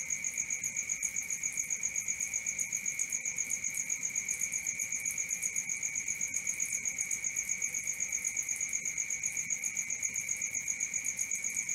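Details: Cricket at night: a steady, high, shrill tone pulsing evenly about four times a second, with a fainter higher overtone, unbroken throughout and with no other sounds.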